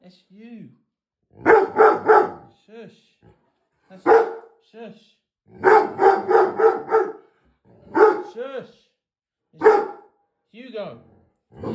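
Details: Dog barking at itself in the mirror: rapid runs of sharp barks in clusters, broken by short high whimpers and a person's hushing voice trying to calm it.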